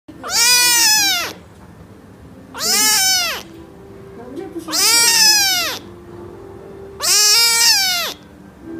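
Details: Lovely cat giving four loud, drawn-out meows, each rising then falling, roughly every two and a half seconds, with a faint low background murmur between calls.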